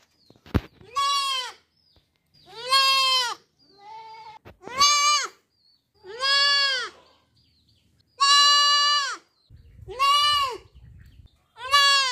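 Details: Baby goat bleating in a series of loud, wavering, nasal baa calls, each about a second long, repeated with short gaps; a sharp click near the start and faint background noise between calls.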